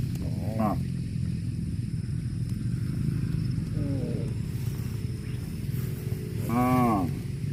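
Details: Cow calls out in three separate harmonic moos, short ones near the start and middle and a longer, louder one toward the end, over a steady low rumble.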